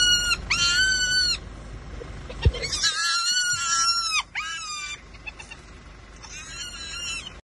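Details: Tiny hyena pup in Kruger National Park running around on a road in front of its mother: a series of high, wavering, whining screams in bursts about one second long, with short gaps between them.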